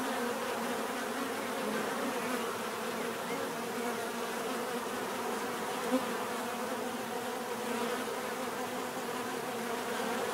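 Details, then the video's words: A swarm-like drone of bees, natural buzzing that stays steady and full, low humming bands under a hissy upper whine, with one brief soft click near the middle. "bees therapy relaxing natural buzzing sound"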